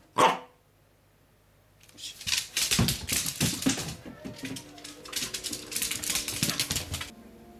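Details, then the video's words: A Pembroke Welsh Corgi gives one sharp bark, then a run of rough, rasping growls and yips while tussling with a toy. "【コーギー】イチゴローVSおもちゃ【CORGI】Welsh Corgi Pembroke"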